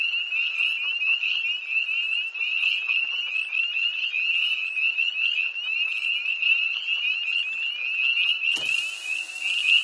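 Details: Early tree frogs at a pond near Hillsborough, North Carolina, calling after dark on 1 March 2011: thick chorus of piercing, high peeps running nonstop, ending with a brief burst of broadband hiss near the close.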